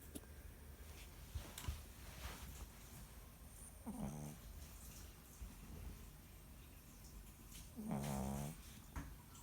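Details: Chihuahua snoring while buried in a jacket: two soft, short, low buzzing snores about four seconds apart over a quiet, hissy room background.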